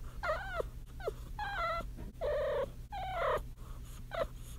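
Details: Kitten in heat making trilling noises: five or six drawn, harmonic chirrups that swoop downward or hold level, some stretched into longer wavering notes, with a constant low electrical hum underneath.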